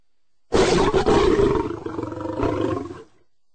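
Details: Lion producing one sustained, gravelly roar of about two and a half seconds, loud at onset, wavering through the middle and swelling again before cutting off; clean silent background.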